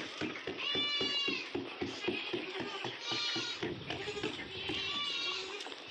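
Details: Osmanabadi goats at a goat farm in Karjat, Ahmednagar, giving nasal, quavering, wavering bleats in overlapping runs, with rhythmic low thumping and background voices.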